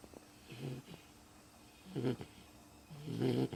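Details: Beagle snoring in its sleep, three coarse, buzzy snores about every one and a half seconds, the last one the loudest.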